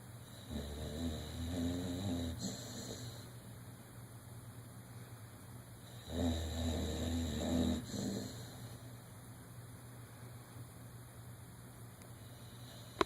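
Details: Dreaming during REM sleep, one-year-old Dodger the dog gives two loud, gravelly, fluttering snores about five seconds apart, each lasting two to three seconds, with a steady low hum between them.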